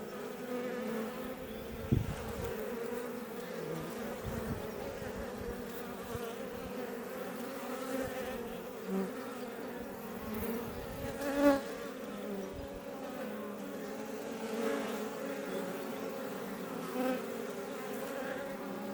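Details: Many Iberian honey bees outside their Langstroth hive west of Roquetes, Catalonia, Spain, producing a constant layered hum; several bees zip past the recorder, giving short louder swells around the second and eleventh seconds.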